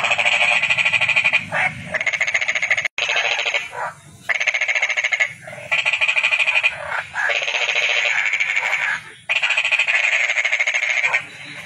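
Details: Toad repeating long buzzy trills of rapid pulses, each lasting about one and a half to two seconds, separated by short pauses, about six in a row.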